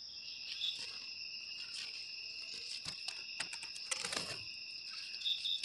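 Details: Cricket chirping, a sound used to drive rats away naturally from homes: two steady high-pitched ringing tones held throughout, broken by scattered dry clicks and brief rustling bursts.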